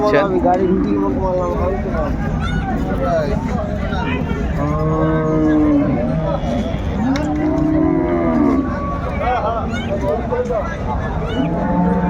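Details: Cows with calves at Ambari cattle market, Dinajpur, recorded January 17, 2025; several drawn-out, wavering moos rise and fall amid constant crowd chatter and market bustle.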